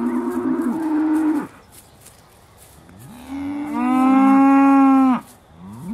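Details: Aussie Red dairy cows at Beaulands, December 2012, just before milking: a short moo, then a longer, louder, steady harmonic-rich moo about a second and a half long.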